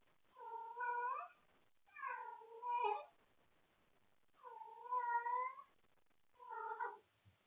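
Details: Wendy the cat stays up late after toy play and calls out for company: four long, loud, somewhat wailing meows in quick succession, the second breaking into two parts, with a still indoor background.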